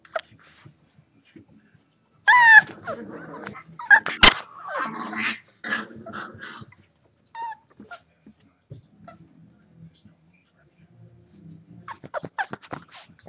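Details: Six-week-old Boxer puppies at play indoors give high harmonic yips and whining whimpers in short bursts, with a sharp squeal near the middle, then quieter scuffling and soft growls before a few brief yelps at the end.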